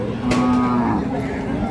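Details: Short, steady, low moo from a dairy cow at the Ambari cattle market in Parbatipur, Dinajpur, where Sahiwal, Sindhi and local-breed milk cows are sold with calves on 20/4/2026; market voices around it.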